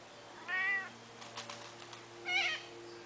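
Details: A domestic cat outdoors on a summer morning, watching a noisy flock of corellas eating olives in the yard, gives two short, harmonic meows about two seconds apart, the second higher and brighter, with harsh bird calls between.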